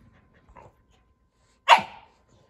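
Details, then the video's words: Sully, a pet Boston Terrier playing with his Keeshond brother Kumo, lets out a single sharp, high yelp-like bark after a faint murmur, followed by quiet. "Goofy Boston Terrier Plays With His Fluffy Keeshond Brother And Makes Funny Sounds"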